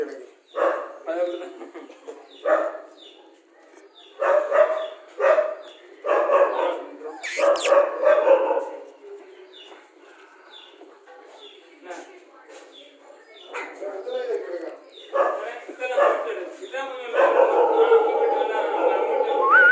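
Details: Rajapalayam dog with irregular barks and yelps, loud then softer, a noisy clatter near the middle. Human voices mix in throughout, and the close ends with a sustained whining bark.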